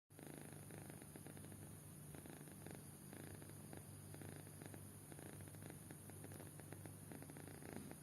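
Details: Kitten fast asleep, snoring steadily: soft rhythmic breathing pulses, roughly one every half second or so, with low rumbling throughout and a faint constant hiss indoors.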